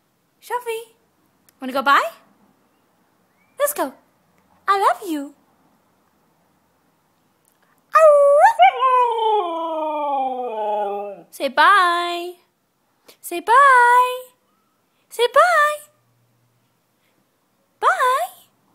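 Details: A white Siberian Husky "sings" loudly: rising woo-woo calls and one long, wavering howl that slides downward.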